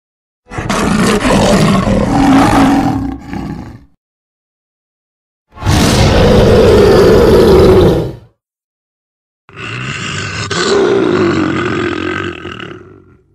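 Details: A wild lion gives three deep, rasping roars, each lasting about three seconds, separated by silence.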